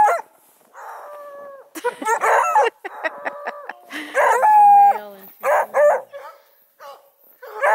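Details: A bunch of 4-month-old Redbone Coonhound puppies near Kingston, Ontario, Canada mix sustained, level howling notes with harsh overlapping barks and quick yelps, several voices calling at once in bursts.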